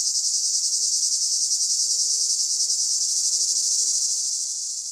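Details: A cicada's steady, high-pitched buzzing drone fills the summer air without a break.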